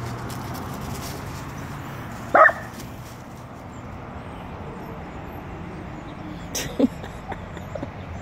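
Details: A small Dachshund gives two sharp, short barks, a few seconds apart, telling off a full-grown Rottweiler in what it treats as its territory.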